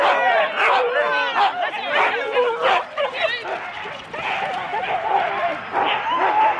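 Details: Huskies in 4-dog teams at the start of a sled race, Rendlesham, January 2016. Rapid overlapping barks and yelps thin out after a few seconds, leaving scattered higher whines over a noisy background.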